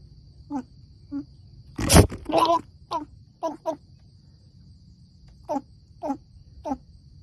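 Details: Baby goat "talking" outdoors with a run of short, nasal bleats spaced about half a second to a second apart, a louder harsh burst near the start, and a steady faint background hum.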